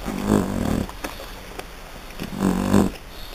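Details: French Bulldog puppies from Hungary giving two low, rumbling growls, each under a second long and about two seconds apart, with a quiet gap between them.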